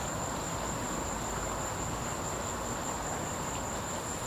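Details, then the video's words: Cicada calling from a tree, a steady, unbroken high-pitched whine holding one even pitch throughout, over a constant broad rushing background noise. "cicada was going crazy"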